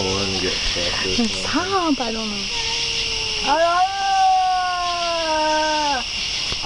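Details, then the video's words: Cat yowling in a series of short wavering, bending cries that rise and fall, then one long, steady, drawn-out wail held for about two and a half seconds before stopping abruptly; faint background hiss throughout. "Poltergeist Cat"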